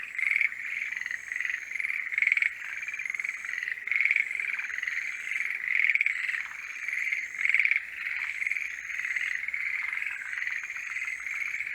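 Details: Breeding-season forest green tree frogs croak in a chorus: loud bursts of rasping, pulsed calls arrive roughly every two seconds above continuous quieter calling, and a high steady tone runs faintly through.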